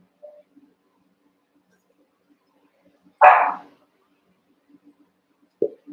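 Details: One-month-old Cavalier King Charles Spaniel puppies wrestle and play in an indoor pen; after near silence a single sharp, high puppy bark rings out, followed by a brief softer yip at the end and faint rustling.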